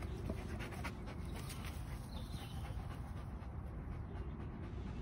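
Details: In a wooded setting, a golden Labrador Retriever pants quickly and continuously while being trained on problem-solving tricks, recorded 26 May 2021; the soft, rhythmic breathing stays even for the whole stretch.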